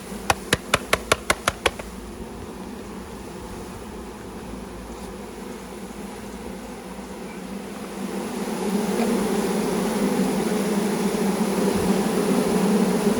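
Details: Honey bees from a package, several thousand poured into a new hive with the queen in her cage, during a first beekeeping session: a few sharp clicks at the start, then a steady droning hum that grows louder toward the end.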